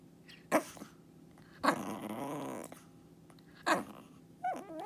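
A Shih Tzu makes short, harsh bark-like bursts and a drawn-out grumbling growl.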